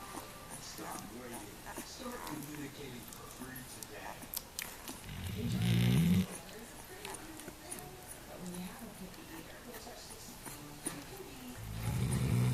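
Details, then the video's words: Weimaraner dam asleep while nursing her litter of five-day-old puppies, snoring: two deep, droning, low rumbles about six seconds apart, each swelling for roughly a second, between them quieter breathing and faint small clicks and rustles. "Nursing Weimaraner Snoring"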